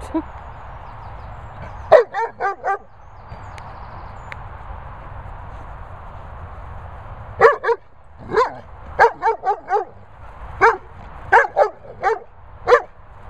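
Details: Cocker Spaniel named Darling, kept with dogs Bella Boo and Bernie, giving sharp, bright barks: a single bark, then three quick ones, a pause, and a run of about a dozen from seven seconds on, over a steady low hum.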